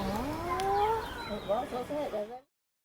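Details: Chimpanzees in a zoo group on Chimp Island, tense and making noise after the birth of a new baby amid fights and displays; a rising, wavering hoot slides upward, followed by shorter choppy wavering calls before stopping.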